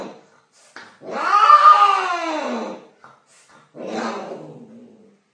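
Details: Domestic cat in mating season caterwauling indoors: a drawn-out wavering yowl rising then falling over two seconds, followed by a shorter harsh moan, with brief gaps between.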